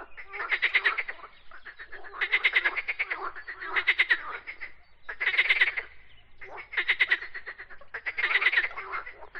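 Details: Frog song of repeated rattling bursts, each a quick series of harsh pulses lasting under a second, coming about every one and a half seconds in a steady rhythm with faint background croaks.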